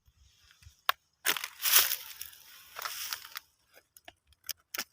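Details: Rustling and crunching noise with scattered sharp clicks and no animal voice.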